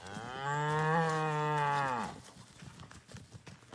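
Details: Highland calf on a Canadian homestead, out of its field and playing with a Basset Hound, gives one loud, steady moo of about two seconds that falls away at the end, followed by rustling.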